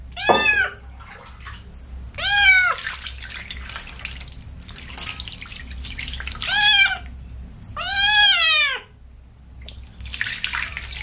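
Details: Kitten washed with baby shampoo meows insistently: five wavering, downward-curving cries, the later ones longer and louder, over trickling water and handling noises.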